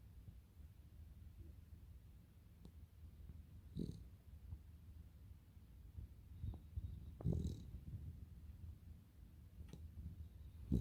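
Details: Cavalier King Charles Spaniel snoring while asleep indoors: low rumbling breaths repeating unevenly, with a few louder snorts and faint clicks over a steady low hum.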